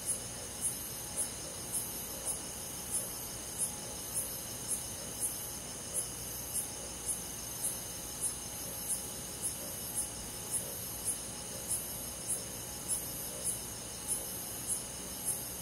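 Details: Night forest insects in summer, with crickets calling: a long even series of high, clipped chirps about every 0.6 seconds above an unbroken shrill insect background.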